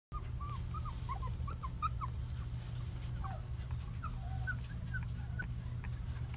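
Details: Shetland Sheepdog female puppy, born 22 February 2018, indoors and nervous during her first filming. Short, thin, high whimpers come in quick scattered bursts throughout, some slurring downward, over a constant low electrical hum.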